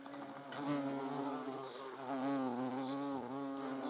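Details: Hornet filmed at close range. A continuous droning hum swells and fades and dips briefly in pitch several times as the insect shifts position. No other clear sounds.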